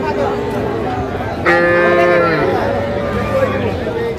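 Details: Bull calf at a busy cattle market in Comilla, Bangladesh, on 14 February 2025, where a farmer is buying small calves: one drawn-out, bawling moo with rich harmonics lasting about a second, over constant crowd chatter and bargaining voices.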